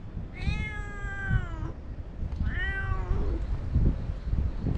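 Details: Chatty stray cat giving two long, clear meows, each bending upward then falling away, about a second and a half apart, over a low outdoor rumble.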